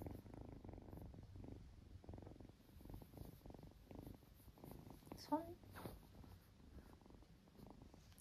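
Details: Ragdoll kitten in Australia purring while being trained to give a paw for its favourite treat; soft, low, rapidly pulsing rumble strongest over the first two and a half seconds, with a brief sharp noise near the five-second mark.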